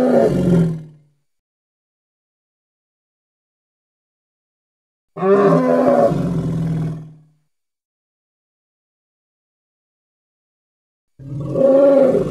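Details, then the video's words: Hippo from the Congo: three deep, harmonic roaring bursts about five seconds apart, the middle one longest at roughly two seconds, each cut off into dead silence between calls. "Hippo (Congo) Sounds"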